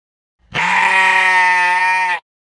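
A lamb gives one long, steady bleat, a nasal baa held for nearly two seconds.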